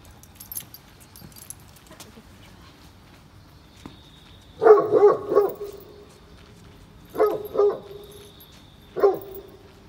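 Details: Great Pyrenees, a very large dog, on a rainy morning walk at Oyama Yuen Harvest Walk. It gives three bursts of deep, resonant barks, each with a drawn-out tonal tail. The first is a quick double-triple woof. Quiet rain fills the background.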